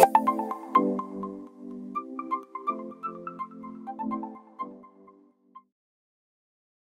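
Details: A chiming, ringtone-like melody of plucked notes plays for about five seconds, then fades to silence; no yipping or other animal voice is heard.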